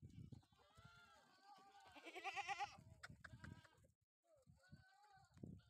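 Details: Sojat bucks kept on a goat farm near Sakri, Dhule, India, for the next Eid: a loud quavering bleat in the middle, shorter bleats around it, with talking and low background rumble.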